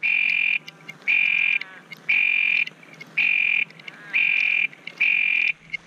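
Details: Calling Texas toad near Pearsall, Texas, giving shrill, even trills of about half a second, spaced about a second apart in a regular run, with little else audible.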